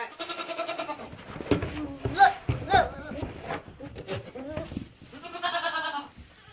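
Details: Buckling, a young male goat, making funny sounds: nasal, harmonic bleats at the start and end, with human voices and other noises in between.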